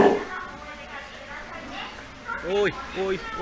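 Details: Steller sea lion pup about three months old, cared for by its mother at an aquarium in Ise, Japan; after soft background chatter, two short rising-and-falling harmonic bleats near the end.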